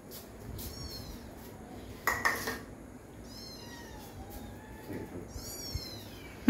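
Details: Kittens at feeding time in a home where Bengali is spoken give repeated high, thin mews that arch and fall, three or four spaced across several seconds, with one sharp clatter of dishes.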